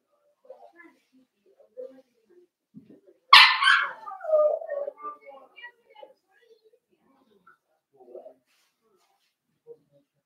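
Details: Blenheim Cavalier King Charles Spaniel puppies, a litter of five born at New Year, in an indoor puppy pen at Red Barn Cavaliers: one sharp, loud bark, then trailing whines and soft scattered whimpers against a quiet room.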